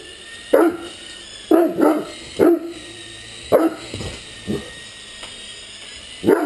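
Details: Playful Great Dane barks at a flying RC helicopter: irregular bursts of brief, forceful barks, some doubled, separated by short pauses, with the toy's steady high-pitched motor whine behind.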